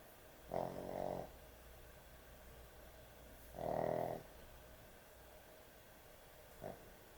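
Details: Dog snoring excessively while asleep at bedtime: two rasping, buzzy snores about three seconds apart, each lasting roughly half a second, then a brief soft click near the end over low room hum.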